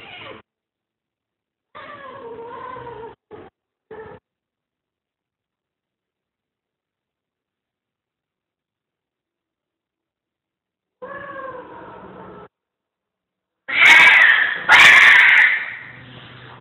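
A Siamese cat gives drawn-out, wavering meows during mating, ending in loud, harsh yowls.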